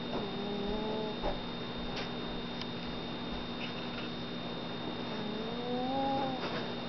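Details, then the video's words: Midnight, a chubby house cat, asleep and snoring in a home basement, gives two thin whistling breaths that rise gently in pitch, one at the start and one near the end, over a constant low hum. "snore baby"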